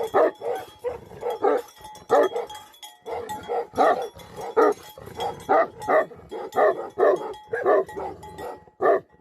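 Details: Tibetan Mastiff livestock guardian dogs, known in Nepal as Bhote Kukur, in the Himalayas. They give deep, rough barks in quick bursts of two or three, with short pauses between, over a faint steady ringing tone.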